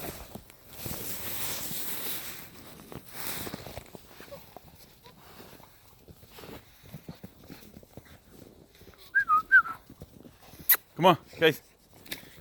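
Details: Belgian Malinois puppies whimpering: after several seconds of rustling and handling noise, a few high, wavering whiny tones appear, followed by short, sharp yelping cries near the end, with faint human voices in the background.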